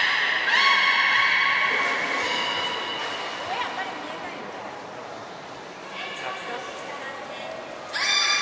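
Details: At Port of Nagoya Public Aquarium, Japan, belugas Gray, Nana and Nico in training, 14 October 2019. A long bright harmonic squeal opens, fading into softer chirps and a low reverberant wash before a sharp tonal call returns at the end.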